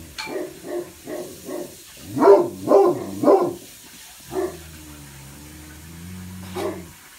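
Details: Blanche and Lee, two Great Pyrenees watching from west and east upstairs bay windows, bark in loud stereo; a quick series of deep barks building to three louder ones, then sparse single barks.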